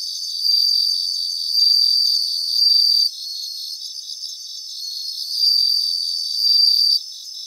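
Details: Several bell crickets singing in a grassland: high, bell-like ringing bursts roughly a second long, repeating about once a second over a steady chorus of fainter pulsing insect trills, with a quieter gap midway.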